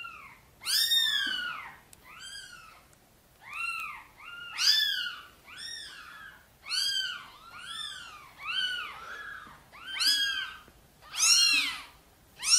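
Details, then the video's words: Mother cat Sonny asks for help carrying her tiny kittens to the nest with a rapid run of about a dozen short, high, arched meows, some overlapping, coming nearly every second in a quiet room. "Mother cat is gently meowing, asking for help to bring her tiny kittens into the nest"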